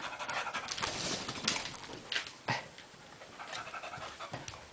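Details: Playful tussle between two dogs named Sophie and Ryo, heard as quick, irregular panting huffs, roughly three per second, with a few sharp thumps and scrapes from their wrestling.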